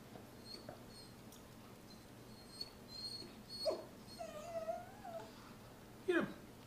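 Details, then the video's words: Whimpering Miniature Poodle Sarah attacks her toy Mr. Fox indoors, giving high wavering cries that bend up and down around 4 to 5 seconds, ending in a sharp yelp-like squeal, with faint rustling of play throughout. "Sarah Miniature Poodle cries while killing Mr. Fox."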